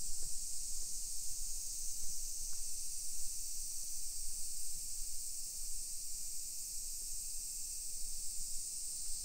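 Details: Cicadas in a suburban hillside neighbourhood of Nisshin, Aichi Prefecture, Japan, on a summer afternoon, 1 PM, 28 July 2021: a continuous shrill, sizzling drone without pauses, with faint low background rumble and an occasional click.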